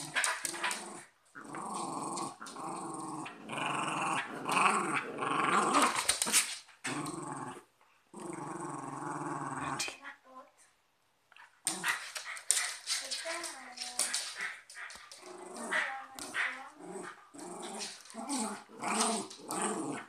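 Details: Fighting cocker spaniel and westie growl and snarl almost without pause, rough rumbling growls mixed with snapping bursts, a brief silence midway, then rapid choppy snarls resume.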